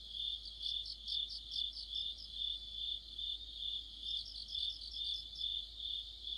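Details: Crickets with other insects forming an autumn orchestra, their sound a sustained piercing trill with rhythmic pulsed chirps about twice a second, multiple singers overlapping steadily throughout.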